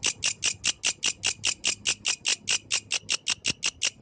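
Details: A grasshopper sings at night with steady, high, raspy pulses, about five each second.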